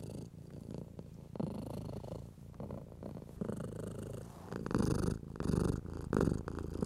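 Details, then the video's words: Stroked house cat giving a low continuous purr that grows louder toward the end in pulsing surges, accompanied by brushing sounds of a hand on fur. "For Nervous/Anxious Cats - Cat Therapy 4Hrs of Stroking & Purring In 4K"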